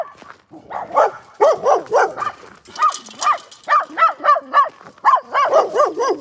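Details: Dog barking in a steady run of short, sharp, mid-pitched barks, roughly three per second, with brief pauses between small bursts and a faint high hiss partway through.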